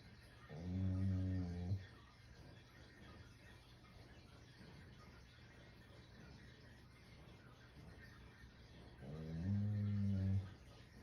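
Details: Shiba Inu fast asleep, producing two deep snores roughly eight seconds apart, each a low, harmonic-rich drone of over a second, with faint room noise in the gaps.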